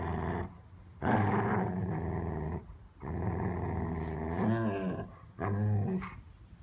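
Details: Growling dogs at play: long rough rumbles lasting about two seconds each, broken by short gaps, with wavering whiny tones sliding through the later growls.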